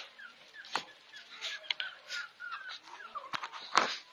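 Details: Shih Tzu puppies about two and a half months old give thin, high whimpers and short squeaky yelps, overlapping one another.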